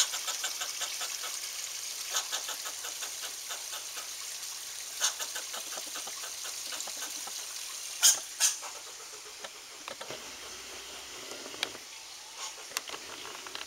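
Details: An angry squirrel confronting a cat makes rattling trains of quick, dry pulses, densest early on and then thinning into scattered sharp clicks over constant background hiss.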